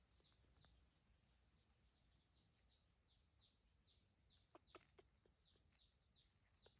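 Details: A baby monkey, waking to find its mother gone, calls for her with a quick series of thin, high, arching peeps.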